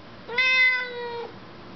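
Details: Talking Siamese cat replies to a question from its owner with one sustained, steady-pitched meow of nearly a second, clear and tonal with bright overtones, ending in a slight downward bend; quiet room, owner speaks around it.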